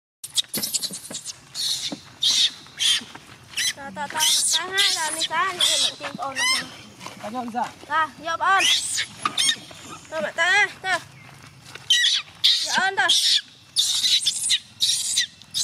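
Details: Young chimpanzee Gina cries as her carer tries to go home, pleading for her to stay: repeated wavering whimpers rising and falling, mixed with harsh high screeching bursts, with brief pauses between outbursts.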